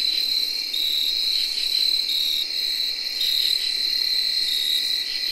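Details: Early October night chorus in 2021 led by tree crickets, a continuous high-pitched whir without pauses. Short buzzy katydid bursts come and go above it, and field crickets chirp in the mix.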